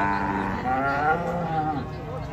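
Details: Agitated cattle just unloaded from a truck; a strained, harmonically rich bellow fills most of the clip, wavering in pitch, with people talking nearby.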